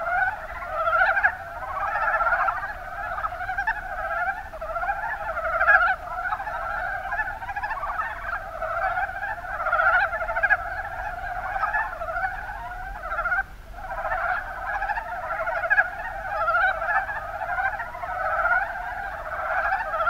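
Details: Mountain brown frogs, Rana ornativentris, calling in the Kuma Basin of Kumamoto, Japan: a dense, continuous chorus of overlapping low chuckling croaks in pulsed bursts, many frogs at once, steady throughout with slight swells in loudness.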